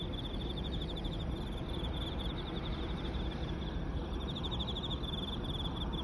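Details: A dense chorus of Emma field crickets calling along the Yamato River embankment in Osaka Prefecture, Japan: steady trilled chirping overlapping without pause above a low rumble.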